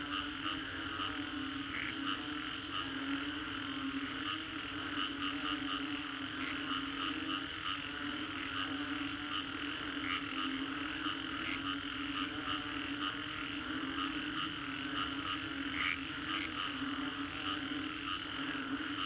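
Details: Long stretch of frog chorus after a storm in Singapore's Green Corridor, dense overlapping croaks and bright repeated notes carrying on evenly throughout, occasional louder individual calls above a constant low hum.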